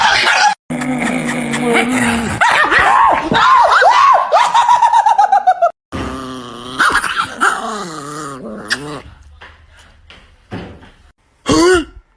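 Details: Chihuahua growling and barking, long harmonic growls bending up and down with rapid barks, then a pause filled by soft background noise, ending with a brief sharp yelp; Dutch speech nearby.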